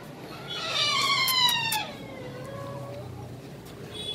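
A Siberian Husky puppy gives a drawn-out, high whine that slides steadily downward in pitch.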